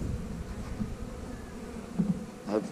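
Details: A colony of honey bees hums steadily while hive frames are handled and the keeper looks for a new queen. The drone is low and even, with brief handling knocks and a short burst of male speech near the end.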